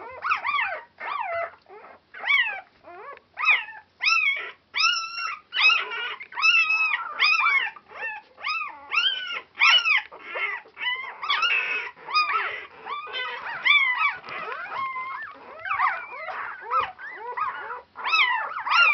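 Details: Several 4-day-old Border Collie puppies call nonstop, high piping squeals rising then dropping, packed closely over the whole stretch, loud and insistent, a noisy litter on Super Sunday 2012.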